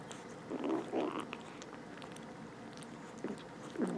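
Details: Rescued stray kittens, two with infected eyes, indoors while eating, give short low mewing calls, two close together near the start and two more at the end, over soft chewing and clicking sounds.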